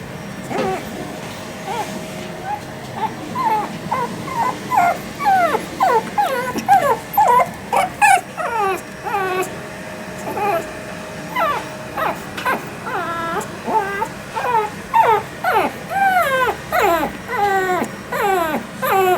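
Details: Female Shih Tzu puppy born 25 December 2021, at a pet shop in Yokosuka, Kanagawa, Japan; high, wavering whimpers and yips repeated in bursts about every second, growing busier toward the end.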